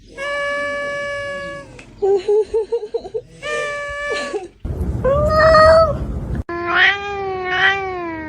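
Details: Domestic cat heard in a quick run of abruptly cut-together vocalisations: drawn-out steady meows, a choppy stuttering segment, then louder wavering yowls over a noisy background, each piece ending suddenly before the next begins.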